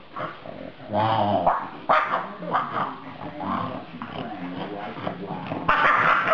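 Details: French Bulldog vocalizing at the end of a dog playdate with a pug, letting everyone have it: a run of grumbling, talking-style moans and yips with shifting pitch, some short sharp bursts, and a human voice mixed in.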